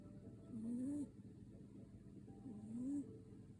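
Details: Sleeping cat snoring softly, two rising nasal snores about two seconds apart with quiet breathing between.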